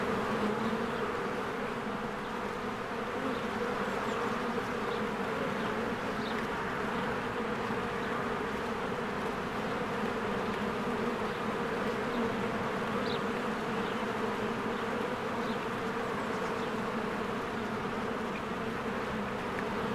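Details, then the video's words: Swarms of honeybees crossing in and out of their hive in spring make a continuous deep hum for the whole stretch, dense and even, dotted with sparse faint high-pitched chirps from birds nearby. "1 Hour of a Beehive ASMR"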